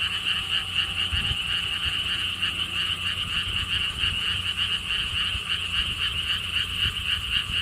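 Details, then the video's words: Chorus of frogs at the lotus theme park in Siheung, South Korea, near a stone wall path: fast, high, pulsing trills merge into a continuous shimmering wall of sound, with faint low thumps and outdoor rumble beneath. "frog sounds"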